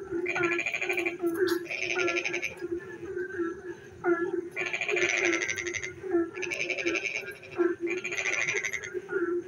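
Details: Night-time frog chorus in the rain: long rasping pulse trains swell and fade two or three times, mixed with short tonal chirps over a continuous low droning background.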